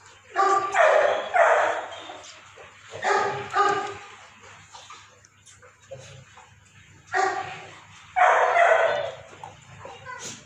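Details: Kennel Labradors at Raja Land Kennel, Ambala Cantt, Haryana, give four distinct volleys of deep, rough barks, each a quick run of two or three barks separated by short quiet gaps.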